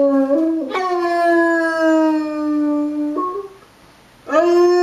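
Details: Winston, a pet basset hound, howling with tornado sirens: a long sustained howl that jumps upward, holds a steady pitch, steps briefly higher near the end, then fades before a new howl begins.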